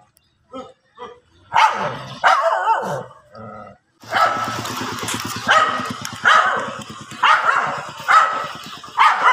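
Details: Dogs fighting outdoors on grass: a few faint yips open, then louder rough barks, followed by a dense stretch of repeated harsh barks about every second over a steady, low rumbling background.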